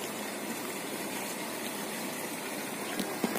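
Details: Steady broadband hiss like running water or a pump fills the whole stretch, with two short clicks near the end and no animal voice.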